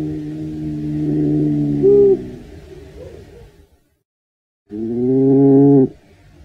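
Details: European badger (Meles meles) giving a drawn-out, tonal moaning call that swells for about two seconds and then fades, followed by silence and a second loud, steady moan lasting about a second.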